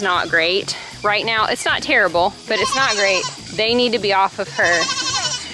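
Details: Weaning kids screaming loudly: distinct tremulous bleats with bending, downward-sliding harmonics, about six cries in five seconds separated by brief gaps.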